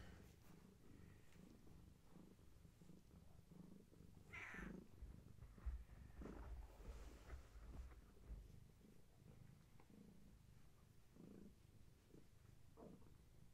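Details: Long-haired tabby mother cat with her kittens during a bedtime visit, watched by camera: a soft, low, steady purring rumble throughout, with a few brief rustles and knocks in the middle.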